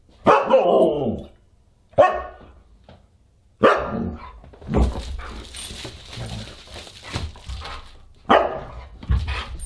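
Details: Husky at a dinner party on December 27, 2022, barking in loud, separate bursts with pauses between them, some barks breaking into howl-like falling tails, over indoor clatter and background noise.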